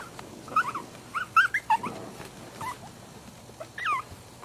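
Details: Four-week-old puppies whimpering and yipping: short high squeaky cries that bend up and down, given in quick clusters with brief pauses and a final rising-falling squeal, over a quiet background hum.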